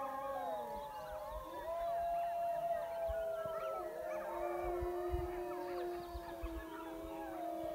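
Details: Pack of wild wolves near a high mountain lake, called in close by a hunter. Several overlapping howls at once, long sliding tones rising and falling, some steady and some wavering, forming a continuous chorus for the whole stretch.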